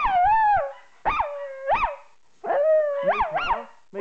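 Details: A female Jack Russell Terrier x Yorkshire Terrier dog howls along when her owner sings, in drawn-out, wavering notes that swoop up and fall back.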